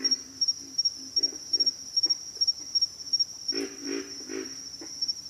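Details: Pig frogs calling: low, rough grunts in short bursts, clustering more heavily near the end, over a steady high-pitched insect trill that runs throughout.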